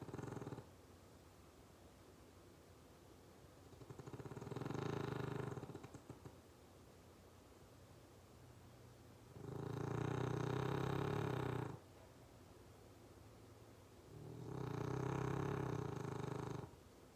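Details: Dog snoring and twitching in his sleep indoors: long, low, rasping breaths lasting about two seconds each, recurring roughly every five seconds, with quiet pauses between.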